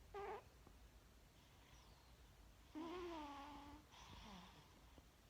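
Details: Snoozing house cat producing a brief voiced snore, then a longer falling, wavering snore tone, followed by a soft breathy exhale in a quiet room.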